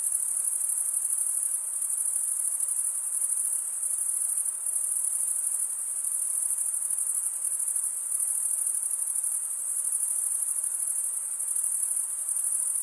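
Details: Steady cricket stridulation, heard as an unbroken, piercing high trill from a chorus of insects, level and unchanging in pitch, with faint soft variations in volume and no other noises.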